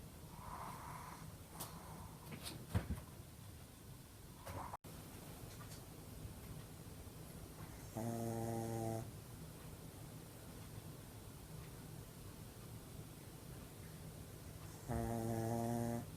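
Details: Sleeping pug snoring loudly indoors, its snoring said to reach noise level; two strong buzzy, harmonic rasps of about a second each, near eight and fifteen seconds, with softer wheezy breathing and a few clicks between.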